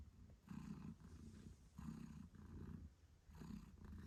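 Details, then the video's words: Purring of Moon Stone, a British Shorthair mother cat caring for her 8-day-old kittens; a low rumbling purr swells and fades in steady breath cycles roughly every 1.4 seconds, with no other sounds. "Cute Kittens Meowing Yawning Sleeping Cat Mom Purrs Loudly 🥰 8 Days After Birth British Shorthair"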